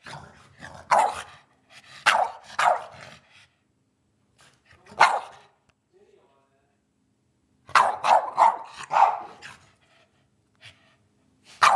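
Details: Eddie the pet dog barks for his dinner at dinner time; bursts of several barks, a lone bark, then a quiet gap before another rapid cluster, with faint background voices.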